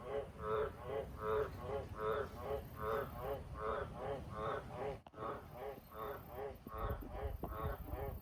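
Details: Wild Australian green tree frogs around a house and farm sheds at night, calling in a steady run of short, harsh croaks, roughly three per second, over a constant low rumbling background noise with a brief break midway.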